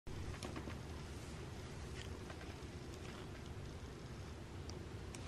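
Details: Continuous low rumbling wind noise buffets the microphone, with only faint scattered clicks above it.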